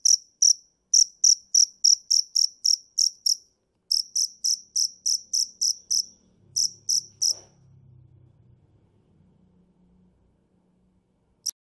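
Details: Field cricket (dế mèn) giving loud, high-pitched chirps in quick bursts of several pulses, pausing briefly between groups, for about seven seconds; then near silence with a faint low hum and one last short chirp at the end.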